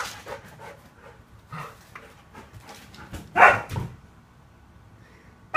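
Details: Upset Siberian Husky barricaded out of the living room during owners' nap; soft low murmuring sounds, then a sudden loud whining yowl and another starting at the end.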